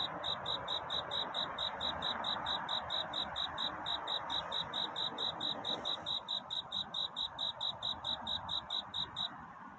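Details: Cricket singing a courtship song at night toward dawn, a steady stream of short high chirps evenly repeated several times a second, over a soft broad hiss in the middle range.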